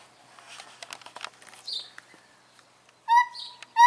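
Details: A pair of zoo gibbons give their morning chorus, breaking into loud, pure hooting notes after a stretch of quiet clicks and murmuring human voices.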